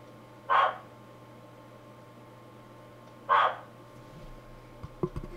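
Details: Giant waxy monkey frog, a captive male calling to attract a female, picked up on a computer microphone in London: two short, hoarse clucking notes about three seconds apart, then faint room knocks.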